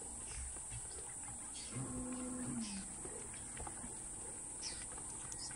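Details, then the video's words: Wild Cape buffalo bulls fighting head to head in the African bush: one low, moaning bellow held for about a second, then dipping slightly at its end, over a steady insect hiss with scattered clicks and faint bird chirps. "Headbutting Giants - Cape Buffalo Bulls Clash!"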